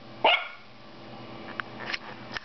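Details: Female toy poodle puppy seeing herself in a mirror for the first time gives one sharp, high yap, then faint small sounds, indoors.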